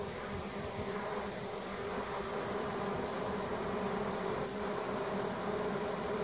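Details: Swarming honey bees moving calmly from a leftover branch into a box holding their queen, some fanning at the entrance; an even, continuous low hum with a steady tone band near 400 cycles, no voices.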